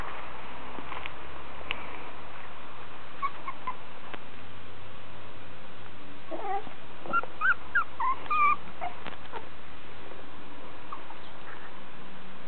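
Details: Five-week-old miniature schnauzer puppies of litter C from kennel Fruma Sidus, sired by Ch. Lancaster Androis out of Ch. Gwenn Girl Wild Rane. Thin high whimpers and squeaks come in a brief cluster midway, over a steady low hum.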